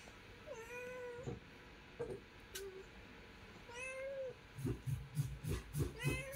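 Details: Kitten with its mother, giving thin, high, level mews about once a second, each with bright overtones, followed by soft rhythmic taps and rustling near the end.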